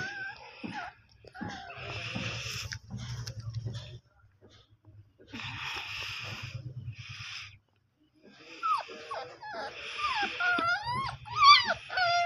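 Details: Dogo Argentino puppy: breathy, wheezy snuffling bursts with pauses, then a run of high, wavering whimpers and thin squeaks near the end.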